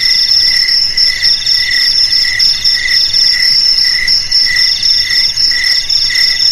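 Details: Jangkrik chorus presented as a way to scare rats from homes and fields: high metallic trilling overlaid by rhythmic lower chirps repeating several times a second, several crickets calling together continuously.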